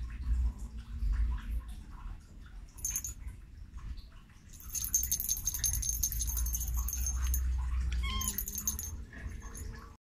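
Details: A domestic cat gives a short, wavering meow near the end, over steady low rumbling background noise with faint high-pitched ringing tones.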